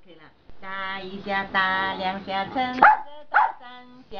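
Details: In a good mood, a giant panda sings out in the afternoon with sustained, rich, steady-pitched tones. Two sharp snapping bursts interrupt near the end, followed by another held note.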